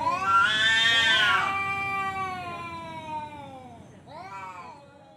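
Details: Male cat yowling to challenge another cat to a fight: a loud, drawn-out, harmonic wail that swells, then slowly sinks and fades over several seconds, followed by a shorter, wavering, rising-then-falling yowl near the end.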